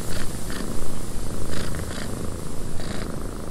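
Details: Domestic cat purring in a cabin during wind, a deep rumble pulsing in short rhythmic surges, louder at the start, with continuous wind hiss behind.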